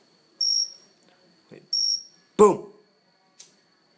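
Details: Cricket perched on a house plant inside, heard close up: two short, high chirps about a second apart, followed by a loud burst of a person's voice and a faint click.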